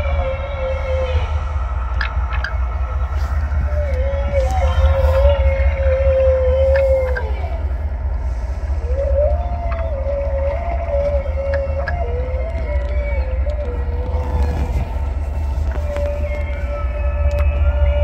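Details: Humpback whales described as strategizing, giving long tonal moans that waver and bend around a steady pitch, several drawn-out phrases in sequence over a heavy low underwater rumble, with faint higher tones above.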